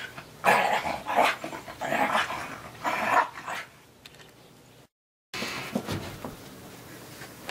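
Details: Three-legged Australian Terrier puppy playing in the snow; several short, sharp barks with a growly edge about one second apart, then a pause and a gap, faint later sounds, and a man's voice afterward.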